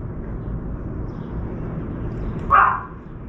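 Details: A puppy gives one short, sharp bark near the end, after low outdoor rumble and background noise, while a crow brings a chunk of meat to a balcony feeding spot.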